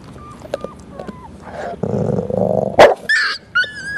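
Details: Mia, a pit bull (American Staffordshire Terrier) mother, shows food aggression while eating a treat beside her 4-week-old puppies born July 10, 2010. Faint squeaks come first, then a rough one-second growl, a sharp snap, and high yelping puppy whimpers.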